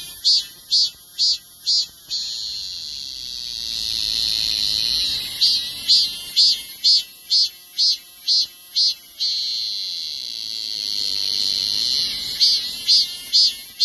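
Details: Korean cicada song: loud, shrill pulsed phrases repeated about twice a second, broken by a long steady droning whine before the pulsing starts again.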